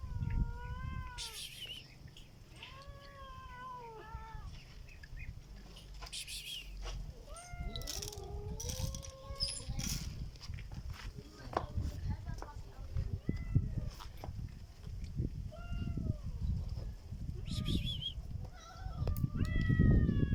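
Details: Black cat making a strange sound: a run of wavering, harmonic meows, some rising then falling, others bending downward, in quick irregular succession over low rumbling background noise and scattered clicks.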